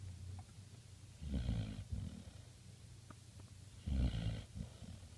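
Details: A sleeping puppy in Prescott, Arizona, November 2015, snoring loudly: two deep, buzzy snorts about two and a half seconds apart, each trailing into a softer breath, over a faint steady hum.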